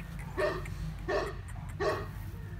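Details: Huge female Bully Kutta, a Pakistani mastiff from Pakistan, giving three deep, hoarse barks spaced about seven tenths of a second apart over a steady low hum.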